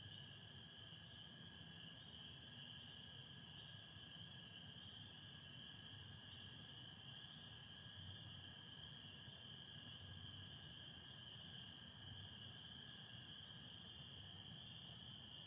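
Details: Spring peepers massed in full chorus on a Michigan spring night, 24 April 2025, with some overcast; piercing high peeps blur into one continuous band, accompanied by an even, lower American toad trill and distant low rumble.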